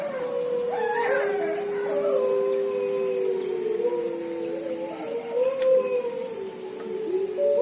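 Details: Several gray wolves (Canis lupus) at the Ecozonia eco-park in Cases-de-Pène, Pyrénées-Orientales, howl at night near the lodge: long sustained tones sliding and overlapping, with background music.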